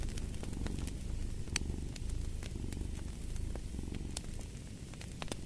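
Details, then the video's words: Close, rumbling purr of a cat, dense and even throughout, accompanied by occasional bright snaps and crackles from a burning fireplace. "Purring of a Cat"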